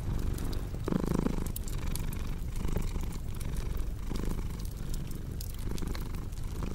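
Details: Relaxed domestic cat purring over a cozy crackling fireplace, the deep rumble waxing and waning in slower breath cycles, one brief brighter rasp near the start, and fire pops ticking through the background.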